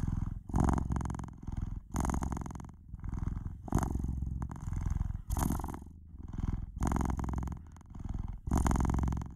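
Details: Close, low-pitched purring from a domestic cat, a rough vibrating drone that strengthens and softens in uneven breath-timed waves, each swell lasting about a second.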